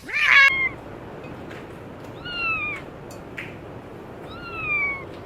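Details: High, thin meows from kittens at play on green grass: a sharp opening cry, then two drawn-out, gently falling calls a couple of seconds apart over a soft background hiss.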